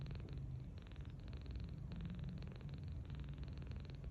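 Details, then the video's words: Tiny 39-day-old rescued kitten asleep on its back on a bed, snoring gently; a deep continuous purring rumble broken into short regular breathing pulses, no other sounds. "Tange Snoring So Sweetly"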